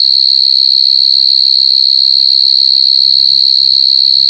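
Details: Continuous shrill buzzing of a coconut cricket, one steady high note with thin higher overtones, droning evenly without pause; only faint low rumbles underneath.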